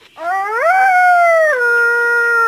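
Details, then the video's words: A dog's long howl swoops upward from a low start, holds a steady high tone, then drops a step to a lower sustained pitch until the end, clear and loud. "SOME VOICE OF DOG."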